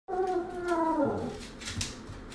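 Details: A chatty Bedlington Whippet Lurcher, a young dog that has grown up, gives a drawn-out howling vocalisation indoors, several wavering harmonic tones sliding downward over about two seconds, then fading into room noise.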